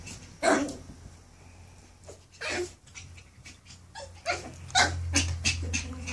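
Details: Nine-week-old Maltese x poodle puppy at home, growling at his own reflection the first time he sees himself in a mirror; short rough bursts come in irregular clusters over six seconds above a steady low background hum.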